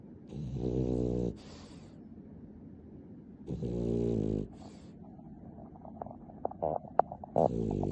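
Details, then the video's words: Snoring of Nana, a clingy pet dog, played back at ten times speed: two loud buzzy, harmonic snore bursts about a second long, separated by quiet pauses, then scattered faint clicks and ticks near the end. "ナナ動画 甘えん坊 いびき 10倍速"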